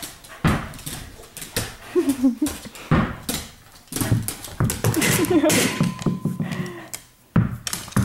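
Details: Household pups playing together indoors in a living room at night: short throaty growls and whiny grumbles break through repeated thumps, scuffles and bouncing on the floor, with a brief steady tone sounding midway.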